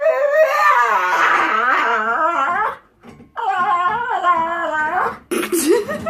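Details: Indoor pet dog making dolphin-like noises to get its owner's attention: two long, loud, wavering whine-howls, each rising and falling in pitch for about two seconds, followed by a short higher squeal.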